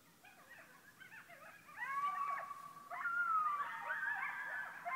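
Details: Coyotes howl very close, maybe 100 yards away, from all directions outside a door, sustained wavering tones overlapping with yips and higher quavering cries.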